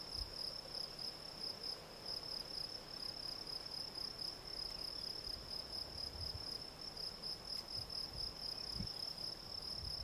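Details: Steady high chirping of a field cricket (Gryllus campestris), rapid evenly spaced pulses forming a continuous trilling song, with faint low thuds in the background.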